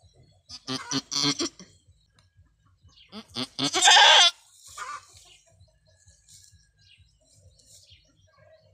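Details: Long-horned female goat in labour with her first kid on a small backyard farm: a few short choppy sounds, then one loud, harsh, quavering bleat lasting about a second, followed by quieter background noise.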